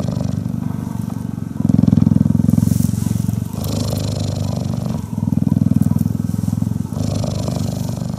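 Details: Purring from a cuddled female cheetah, a deep rhythmic throbbing drone with stronger stretches around two and six seconds between quieter pulsing passages, with faint rustling above.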